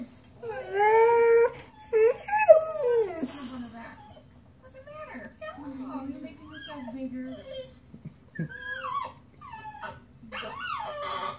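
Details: Pet dog howling on hearing his sister whining about being at Petsmart: rising, then falling, tonal howls through the first four seconds, then quieter, broken whining notes with short pauses.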